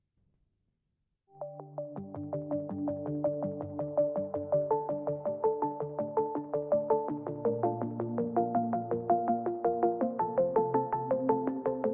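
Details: Bright synthesized keyboard music with a steady pulsing rhythm and stacked tones; no animal voice is heard.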